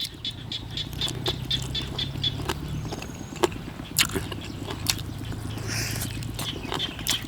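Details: In Thailand on an evening after rain, frogs in chorus give a low, rapidly pulsing drone, with a thin high insect-like whine above and scattered sharp clicks and knocks.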